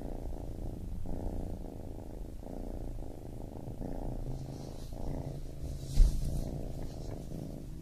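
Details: A baby kitten purrs in a continuous deep rumble, breaths switching about every second, with a low hum beneath and a single soft thump near the end.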